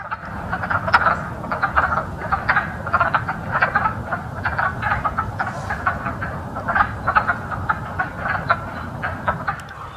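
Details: A dense spring chorus of wood frogs, just out of hibernation and gathered at a vernal pool to mate, gives short, clucking, duck-like croaks that overlap in a steady chatter.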